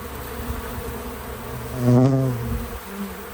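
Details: Bees at work around a feeder, a bee passing close with a loud, harmonic-rich buzz that swells and fades within a second, over a softer background drone.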